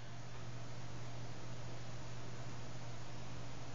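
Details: Steady hissing noise with a low mechanical hum, like a fan, and no animal voice.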